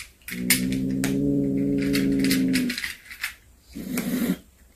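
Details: Cat returning with a hunted snake lets out one long, steady, low-pitched wail. A shorter, rougher yowl follows after a pause. Sharp clatters and knocks sound throughout, as if indoors.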